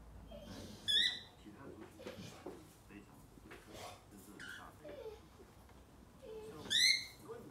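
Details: Rescue dog, described as deaf and special-needs, vocalising while playing with his owner: two sharp, high, rising-then-falling yelping barks, one early and one near the end, with human speech and shuffling between.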